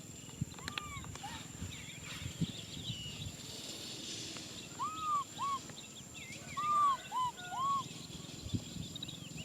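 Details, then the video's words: Baby macaque Nui Simon crying out for a hug: after quieter faint calls, a run of five short, arched, whistled cries in close pairs, each rising then falling, over steady background hiss and a faint high tone. "Monkey baby Nui Simon cries out for a hug"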